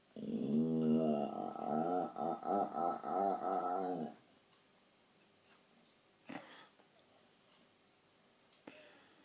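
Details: At night, a dog suddenly and for no clear reason makes strange noises: a four-second wavering, moaning vocalization pulsing about four times a second, then falls quiet.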